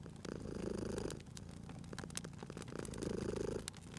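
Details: Close, low purr from a cat at a crackling fireplace, two strong breathing swells with a softer stretch between, while fire crackles snap in the background.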